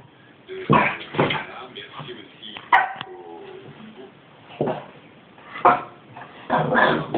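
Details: Goliath, a 5-month-old male Boston Terrier, gives short, sharp barks and whiny grumbles, frustrated by a ball stuck in his basket, which scares him.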